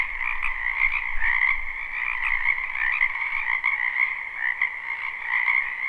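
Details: Many frogs croaking together in a springtime wetland, captured live without loops; unbroken trilling chorus with repeated surges, plus a soft low thumping near the start.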